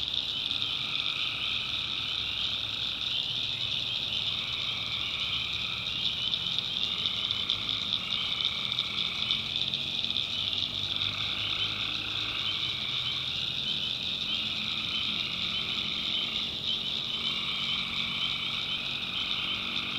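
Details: Nighttime chorus of tree frogs in a North Carolina backwoods swamp: steady high-pitched trilling wall of sound, with a lower droning band that cuts in and out every few seconds.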